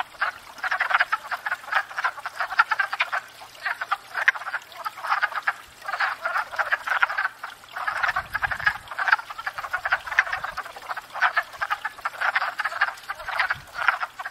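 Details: Spring chorus of wood frogs at a pond where they come to court and breed; continuous overlapping hoarse clucks and croaks, swelling and easing in waves, a faint low rumble midway.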